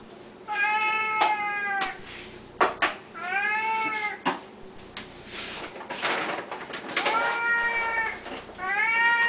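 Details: Pet Siamese cats calling at feeding time, fed three times a day: repeated arching meows about every two seconds, overlapping with clattering and rustling from food preparation indoors.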